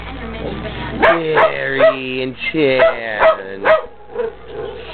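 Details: Two Dalmatian dogs howling along to a television soap opera theme song, one starting and the other joining in, as upbeat jingles set them off; wavering harmonic howls rising and falling over pop music playing in the background.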